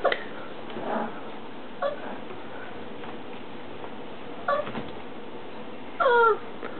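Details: English Mastiff puppies, four weeks old, give short high whines and yelps, several rising-falling tones spread across the room, the last one a longer wavering whimper, with steady background noise indoors.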